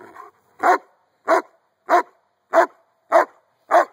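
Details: Outside while playing with a 15-month-old boy, the Giant Schnauzer Jeeves barks six times in a steady rhythm, one sharp bark about every 0.6 seconds, after a little faint talking at the start.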